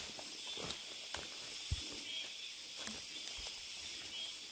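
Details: Deep mountain forest cicadas recorded on a walk: an even, sizzling high drone holds steady throughout, punctuated by a few scattered footfalls and faint thuds.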